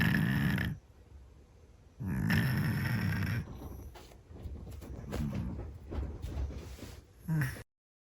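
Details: A Scottish Fold cat snoring loudly in its sleep: two heavy, rough snore breaths, then softer irregular snuffles and small rustling noises before the sound cuts off.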